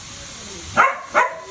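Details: A Husky during mating play gives two short, sharp barks about 0.4 seconds apart over a low hiss.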